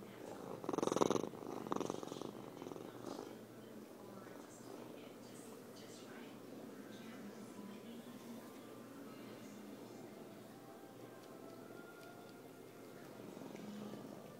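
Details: A young male Savannah cat, about 17 lb, purrs in a low, steady rumble as a daily self-soothing ritual, after a brief louder sound at the start.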